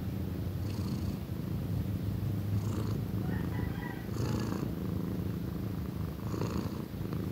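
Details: A young female house cat, nearly one year old, purrs very loudly. The low, throbbing rumble runs without pause, with a few soft clicks and brief higher breathy bursts.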